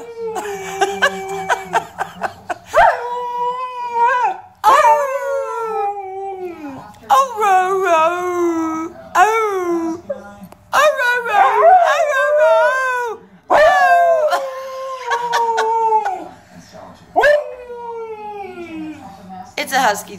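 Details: A Siberian Husky howls along as a person sings, in long, wavering, yodel-like notes that bend up and down in pitch.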